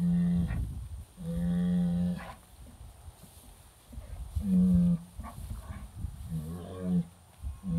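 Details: British White cattle worked up over an old cow hide on a hay ring, July 2013, phone recording: long flat low moos from several animals, spaced apart by quiet gaps with scuffling noise, one shorter wavering call near the end.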